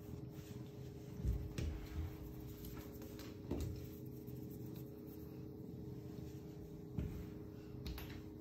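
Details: A male Ragdoll cat being stroked purrs with a steady, low, continuous rumble, broken by soft handling thumps.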